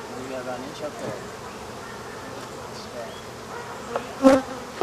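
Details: Steady low drone of African honey bees during removal of a hive from behind a wall, with faint layered humming tones throughout and a sharp knock near the end.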